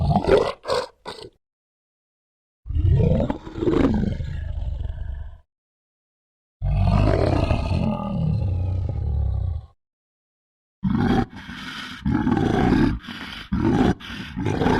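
A bear gives deep, rumbling roars and growls in several long bursts.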